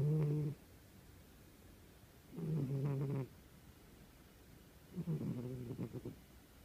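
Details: Sleeping old cat snoring at rest: three low, rattling, nasal snores about every two and a half seconds, each lasting under a second, with quiet breathing gaps between them.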